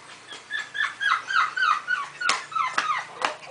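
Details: Five-week-old golden retriever puppy at a kennel giving a run of high, thin whimpers that slide downward, about three per second, followed by a few sharp broadband clicks or taps.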